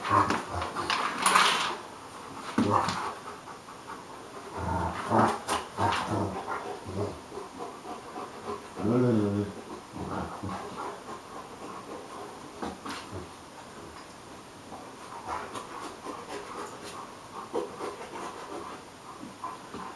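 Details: Hagi, a Romanian Mioritic, and Nijinsky, a South Russian Ovcharka, at play: rough panting and snorting bursts, then a brief low harmonic growl-like rumble near the middle, with scuffling between scattered noisy huffs.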